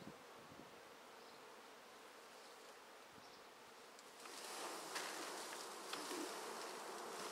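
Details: Honey bee swarm in a swarm basket just taken from a tree: a soft steady hum that swells after a few seconds into a louder, brighter roar of wings, with occasional taps.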